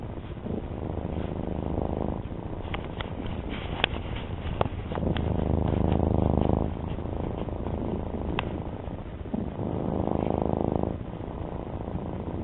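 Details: A male domestic cat purrs steadily, a low rumbling vibration that swells and fades with each breath.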